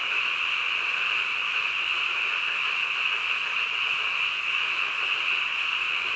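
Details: At midnight, a mass of frogs keeps up a continuous, high, rasping drone that never breaks or changes in volume; individual voices cannot be picked out and nothing else is heard.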